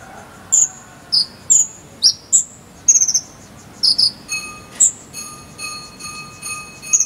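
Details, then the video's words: Cricket chirping in the 'jangkrik sambung' style, played as song-filler material for training a konin bird: short, very high, sharp chirps in irregular bursts of one to three, with a steady thin whistle-like tone underneath. "KONIN ISIAN JANGKRIK SAMBUNG CILILIN"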